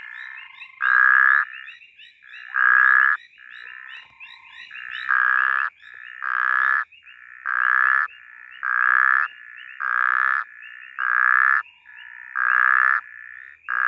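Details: Snoring puddle frog (Phrynobatrachus natalensis) in bushveld gives loud, rasping, pulsed croaks repeated every second or two.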